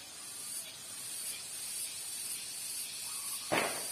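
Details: Garengpung cicadas in chorus with spotted doves nearby: continuous shrill, hissing drone with gentle pulsing, a short faint tone toward the end and a sharp knock just after three and a half seconds.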